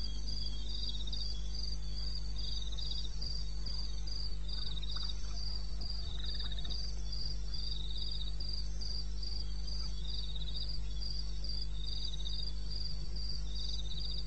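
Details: Crickets calling at 02:30 on 21 May 2016 in eastern Botswana wilderness. Regular high-pitched pulsed chirps alternate with fainter lower trills from other insects, and a constant low hum underlies everything.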